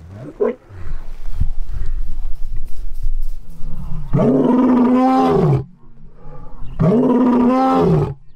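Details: A lion greeting gives two deep, drawn-out roars, each rising then falling, with quieter rumbling before them.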